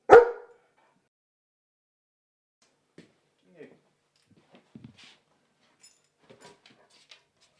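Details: Female German Shepherd dog at home, protective of house and garden: a single sharp, loud bark opens, followed by several seconds of near silence with faint scattered indoor noises.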